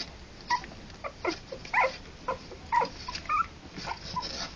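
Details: Three-week-old Harlequin poodle puppies, born October 28 2009, whimpering indoors: short, high, whiny squeals rising and falling, about two per second, some with bright upper tones, separated by brief quiet gaps.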